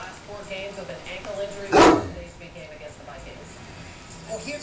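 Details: A 9-year-old, 185-pound male Great Dane barks at two younger Great Danes whose play has gone on too long. One loud, deep bark comes near the middle, with people talking softly around it.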